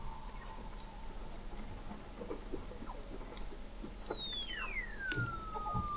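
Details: Under thick sea ice in McMurdo Sound, Antarctica, November 2017, Weddell seals heard from an observatory 21 m deep: a long smooth whistle gliding down from high to mid pitch, over quiet ticking, a faint low tone and background crackle.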